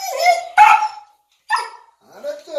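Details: A Siberian Husky that dislikes baths, after playing in the snow, gives short, wavering, talkative howls of annoyed protest, broken by brief pauses, when told it is bath time.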